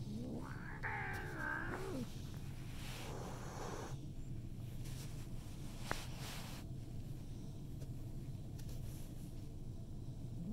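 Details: Cat meeting a newcomer cat: a brief rising-and-falling harmonic yowl, then a long breathy hiss of about a second and a half, followed by a quieter noisy burst, all over a constant low indoor hum.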